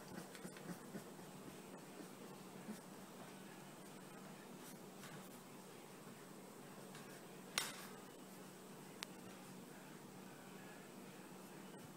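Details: Quiet indoor room tone with a steady low hum, a few faint clicks and one sharp knock; no animal voice is heard.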